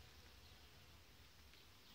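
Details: Honey bees from a queenless, broodless colony in an apiary, being prepared for fumigation treatment against varroa on 29 July 2019; a steady low droning hum holds unbroken for two seconds under a faint airy hiss.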